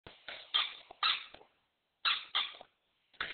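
An English Springer Spaniel gives short, sharp barks in quick pairs, with brief pauses between.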